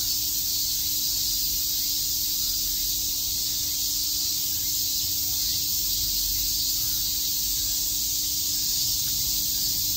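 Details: Cicadas chirping on a summer day in Shakujii Park, Tokyo, forming a dense, unbroken high-pitched hiss that holds steady throughout, with a faint low tone running underneath.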